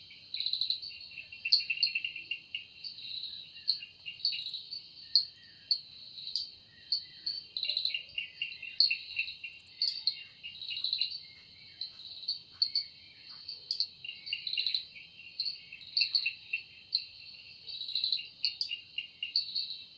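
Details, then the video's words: Evening forest cicada, wings producing the sound, giving a continuous shrill, high-pitched drone broken into rapid throbbing pulses that rise and fall irregularly throughout, with faint low background rumble. "Woundering voice of Cicada"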